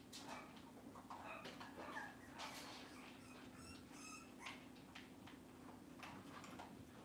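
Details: Cavalier King Charles Spaniels filmed indoors by a kitchen camera on a cloudy Monday morning; thin, high tonal whimpers and short yips come in scattered bursts, mixed with clicks, knocks and household rustling.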